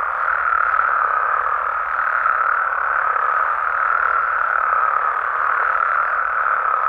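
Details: Night in Mexican amphibian habitat, with many frogs and toads calling together as an even, mid-pitched wash of sound that barely changes in loudness, with no distinct single calls and nothing else audible.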